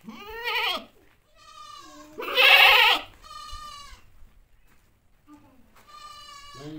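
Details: Mother goat calling her baby: a series of harmonic, nasal bleats, one long loud wavering cry standing out in the middle, with quieter shorter bleats before and after and short silent gaps between them.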